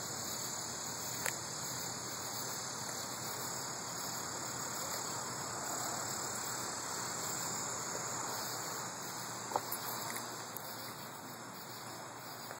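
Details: Cicadas recorded on August 11, 2012 give a steady, high, shimmering drone that continues unbroken throughout.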